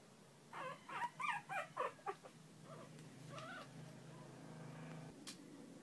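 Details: Newborn Shih Tzu puppies during indoor bonding play: a quick run of five or six high squeaky whimpers about every quarter second, then a softer drawn-out whine and a faint low hum beneath.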